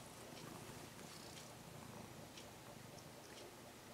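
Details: Brown-and-white stray kitten, cared for about six months and now nearly a house cat, purring while being stroked after coming close; a steady, soft low rumble runs through the whole stretch beneath faint rustling of fur and hands.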